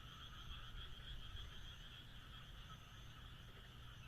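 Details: Frog chorus under the moon in rural Japan: many frogs croak nonstop in overlapping high and middle voices, with a low steady drone below and a faint rise in loudness near the start.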